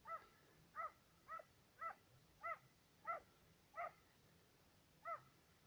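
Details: Serbian hound on the trail of fox and roe deer, baying outdoors: clear harmonic barks repeated roughly every half second with some irregular gaps, fairly distant, over quiet background.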